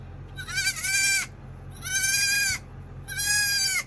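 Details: Three strong, evenly spaced bleats from newborn dwarf goat kids, each about a second long and slightly falling in pitch, with a faint steady hum underneath.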